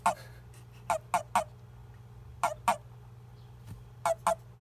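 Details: Release call of a male Japanese common toad, made when it is handled. Only males give it, said to be used when another male clasps it by mistake. Sparse pairs of quick, gruff chirps are heard with a steady background hum.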